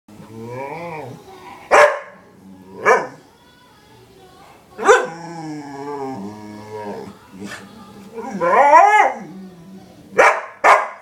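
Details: Female springer spaniel talking to her owner: long wavering moans and whines with many harmonics, rising and falling like speech, broken by several short sharp barks.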